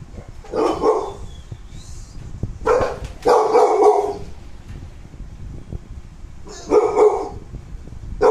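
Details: KOKO, a pet American Bully born on 18 December 2019, gives four bursts of rough, mid-pitched barks, single and doubled, spaced by pauses of one to three seconds over a low steady background rumble.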